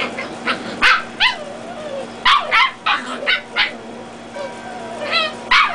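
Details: Young Dachshunds, red and black-and-tan, scuffling in play. Shrill yelping barks and whiny squeals tumble out irregularly, about three per second in bursts, some with a wavering downward slide.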